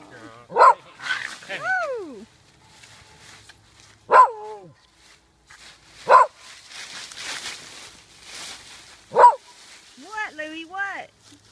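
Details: Three dogs playing and fighting in autumn leaves outdoors, one being ganged up on; loud sharp barks every two to three seconds mixed with high, falling whining yelps, and a person talking in between.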